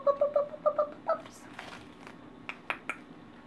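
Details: Australian multigeneration labradoodle puppies, 4.5 weeks old, at play indoors: a quick run of six short high yips in the first second, then soft scuffles and a few sharp clicks.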